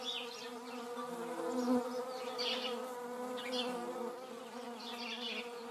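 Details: Several hornets meeting in flight in a garden in the Eifel region of Germany; continuous low droning buzz with stacked harmonic tones, swelling briefly as one insect passes near, pitch wavering slightly.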